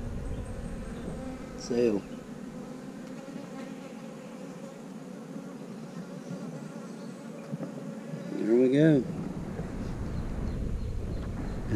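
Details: Honey bees buzzing around a queen with her abdomen lowered into a comb cell to lay. A continuous low hum runs throughout, broken twice by short human voice sounds.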